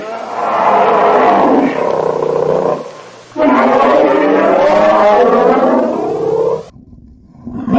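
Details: Grizzly bear roaring in two long, loud, rough bursts of nearly three seconds each, deep and harmonically rich with a slightly falling tone, separated by a brief quiet gap, and a third roar starting at the end.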